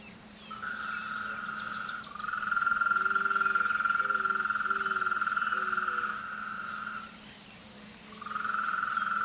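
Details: Chorus of frogs in mating and courtship season. Long, steady high-pitched trills start and stop in bursts, with short lower croaks repeated beneath them and a faint constant low hum.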